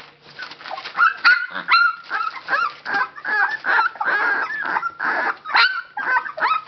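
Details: Belgian Labrador Retriever litter at Labradors Yochiver, 19 days old. Dense, overlapping yelps and whimpers, some sharply rising, others bent downward, roughly two per second, with several pups calling at once throughout.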